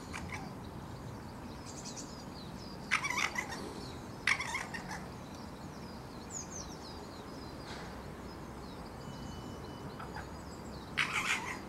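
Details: Female red fox calling at midday to a nearby male during the mating season, at the bottom of a back garden: three harsh, raspy screams spread apart, with small birds chirping and twittering throughout.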